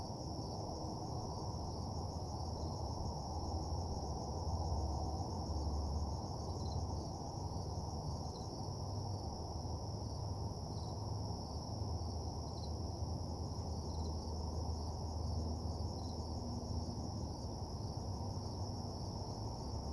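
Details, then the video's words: Crickets chirping at night around a parking lot: two steady high-pitched trill bands run unbroken for twenty seconds, with faint occasional ticks, over a strong, steady low hum. "Nighttime Parking Lot Ambience (Cricket Sounds)"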